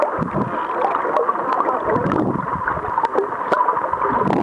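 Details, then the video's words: Belugas answering people who had begun singing to them, heard as a dense wash of gurgling, bubbly chirps and squeaks, with scattered sharp clicks and steady watery noise throughout. "Sing to the belugas!"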